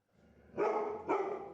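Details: Pet Labrador Retriever, scared of a rolling pin and board, lets out two loud harsh barks about half a second apart, rough and broad, indoors with faint voices around.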